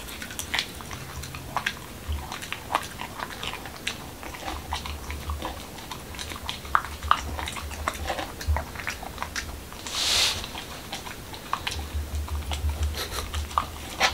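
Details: Momo, a male Pembroke Welsh Corgi in Washington DC, eats a dog-friendly taco of whole wheat shell, cucumber and lean ground beef indoors. Crisp crunching bites come in irregular bursts over a low hum, with one brief hiss midway.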